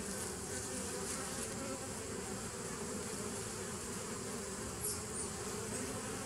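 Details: Continuous buzz of many bees dated 27 September 2018, an even droning hum with a faint high hiss, broken only by a brief sharp tick near the end.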